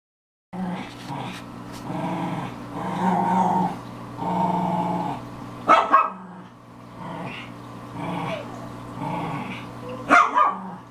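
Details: Four female Pekingese, two resident and two foster dogs aged five to seven, one a Maltese Pekingese mix, playing hard and loud indoors; continuous low growling with a few sharp barks near six and ten seconds.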